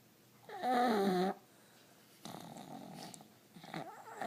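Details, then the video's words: Sleeping pug, twitching in its sleep, gives one tonal, whining snore with stacked harmonics lasting under a second, followed by quieter rough, rasping breaths indoors. "Pug snoring"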